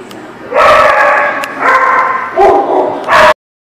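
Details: Dogs at The Barking Lot barking, recorded 2/2/18; loud harmonic barks and yelps in quick succession, four bursts in under three seconds, then silence.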